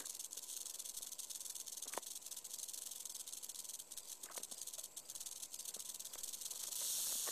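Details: Yearling western diamondback rattlesnake kept in captivity. A continuous hissing, high buzz wavers slightly in loudness and swells toward the end. A few soft knocks are heard in the background.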